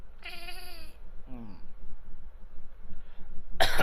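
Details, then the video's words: Bengal cat, a male house pet reacting to fake coughs, gives a drawn-out harmonic meow, then a short falling chirp-like meow after a pause; low hum throughout and a harsh burst of human noise at the end. "A Bengal Cat Can't Stop Reacting When He hear Fake Coughs"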